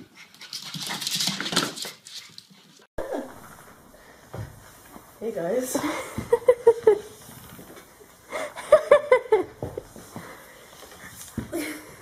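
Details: A dog indoors on wooden floors gives short, harmonic yelps and whining bursts in quick runs, with the strongest near the middle and end, mixed with human speech and room noise.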